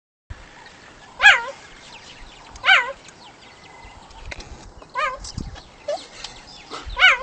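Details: Cheetah giving high, bird-like chirps with a wavering, yelping pitch, five calls spaced roughly one to two seconds apart over a faint hiss.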